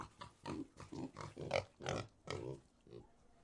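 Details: Pig grunting: a rapid series of about ten short, low, rough grunts and oinks over three and a half seconds, irregularly spaced, some with a harsher, squealing edge, with no other sounds.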